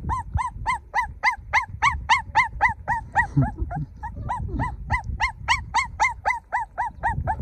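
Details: Golden puppy crying in an even, rhythmic series of short, rising-then-falling whines, roughly four each second, with a soft low grumble slipped in halfway.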